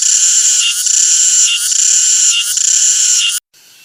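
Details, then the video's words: Cicada song: a loud, dense, high-pitched shrill buzz that swells in a pulse roughly every 0.85 seconds, cutting off abruptly near the end into near-silence. "CICADA SOUND EFFECT 매미 울음소리"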